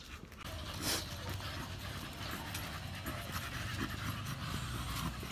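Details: Samson, an American Bully, panting during a gym exercise session; steady, rough breathy huffs run through the clip over a constant background hum.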